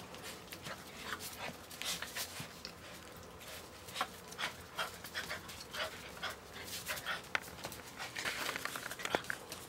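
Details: Seven-week-old AKC Standard Poodle puppies from the litter of Diego and Lexus, indoors, panting: quick breathy huffs in an uneven run of short bursts, a faint high squeak near the end, light handling rustle beneath.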